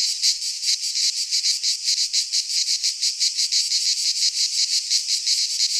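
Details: Midsummer chorus of cicadas in pine woodland in Greece, a loud unbroken high-pitched buzz that swells and fades in quick regular pulses, nothing else audible.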